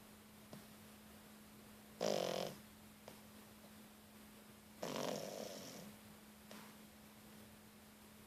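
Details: Sleeping with open eyes, three-month-old French Bulldog Louna gives two long rasping snores about three seconds apart, each trailing off softly, with a constant low hum in the quiet room.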